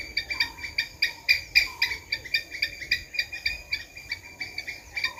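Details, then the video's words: Squirrel calling with sharp, clicking chucks repeated rapidly, about four per second, in an uneven but steady run, with faint soft whistles lower down in the background. "Squirrel sound"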